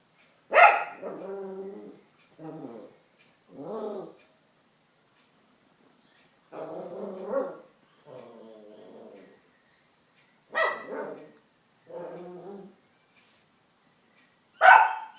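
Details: Dog named Chip barking at his own reflection: a sharp bark followed by grumbling growl-barks, repeated in three bursts across fifteen seconds, each a loud yap trailing into lower rumbling growls, ending with another sharp bark.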